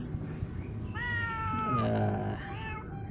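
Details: Angry, hungry house cat returning home meows once, a drawn cry lasting nearly two seconds that slides gradually downward in pitch, set against a constant low hum.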